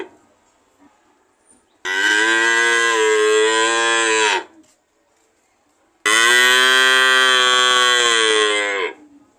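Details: Cow mooing: two long, loud harmonic moos of about two and a half to three seconds each, steady then falling slightly at the end, separated by a few seconds of silence.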